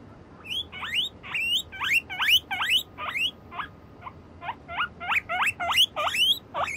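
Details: Guinea pigs walk along a bridge, moving away and coming back. They give a rapid series of high, rising, whistled squeaks, about twenty, in uneven bursts with short pauses. The background is quiet.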